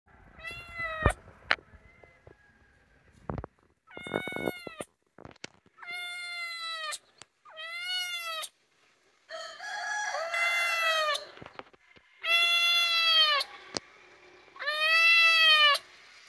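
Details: Small kitten calling for its mother in an Indian village, giving a series of high, arched meows, each lasting about a second and repeated every couple of seconds, with clicks and rustling between calls.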